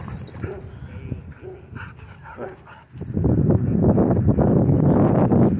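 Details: Dogs at a dog park entrance, where owners move quickly to stop a dogfight. The first seconds hold short whimpering yelps, then a loud rush of broadband noise with people talking over it.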